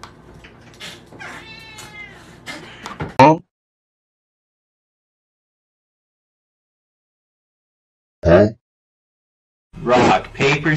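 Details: Domestic cat meowing in short, harmonic bursts that are abruptly cut, separated by long silent gaps, with other brief noisy snippets.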